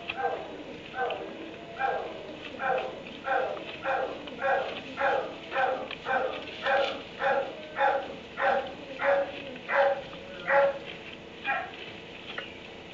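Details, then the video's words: Dog barking in a kennel in a barn at 3am: a steady run of about twenty mid-pitched barks, roughly one every half second, rising in strength mid-sequence before tailing off, over a constant low hum and hiss. "Barn 3am barking dog in kennel"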